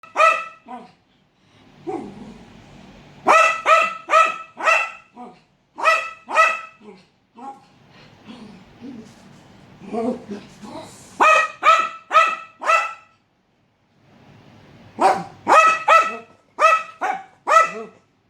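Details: Pet dog reacting to a leopard gecko seen for the first time, barking in quick bursts of three to four sharp, ringing barks separated by short pauses, with softer huffs and whines between the bursts.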